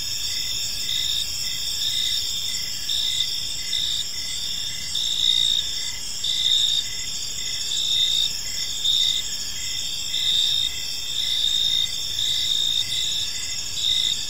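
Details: A chorus of crickets chirping in a park as evening falls: steady high trills overlapping, loudness swelling in gentle waves, with a lower pulsed chirp repeating through the whole stretch.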